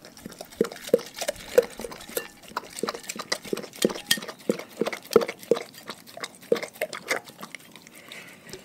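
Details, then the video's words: Pet dogs from one pack eating a raw food diet, close-up: a dense run of sharp crunches and snaps of chewing bone and meat, several bites a second, with wet smacking between them. "Dogs Eating Raw Food"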